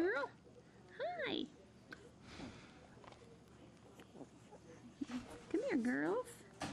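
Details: English bulldog puppies raised at a ranch in Kansas, heard indoors: high, arching whimpers with clear overtones come in three short bursts, at the start, near one second and around five and a half seconds, with soft human talk between.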